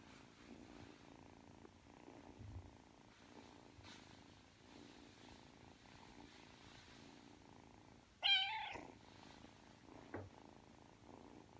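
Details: Three-month-old Ragdoll kitten Aki purring as it kneads and drifts off to sleep; a soft, even pulsing purr throughout, interrupted by one short high chirping mew about two-thirds through.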